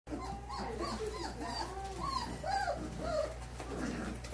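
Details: Four-week-old German Shorthaired Pointer puppies giving soft, high whining whimpers, short wavering cries rising and falling, scattered through the clip over a steady low hum.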